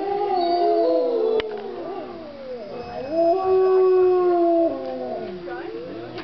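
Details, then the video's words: Several wolves at Colorado Wolf and Wildlife Center howling together: overlapping long wavering howls at different pitches, some sliding up and down, forming a continuous chorus throughout with one sharp click early on. "Wolves howling"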